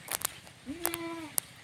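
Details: Goat out grazing while being herded to pasture: a single short, steady, nasal bleat lasting about half a second, slightly rising at the start, with a few sharp clicks and rustles around it.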